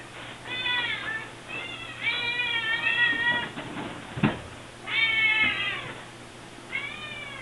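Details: Hungry Siamese kittens crying as a refrigerator is opened, only two hours after their last meal; several overlapping, insistent meows, harmonic-rich and wavering, in bursts with short pauses and a brief knock midway.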